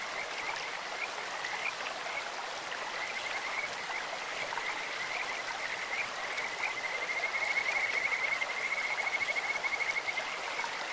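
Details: Kajika frog in a flowing stream, its sweet high voice rising from short scattered chirps into a long run of quick pulsed notes near the end, set against constant babbling water.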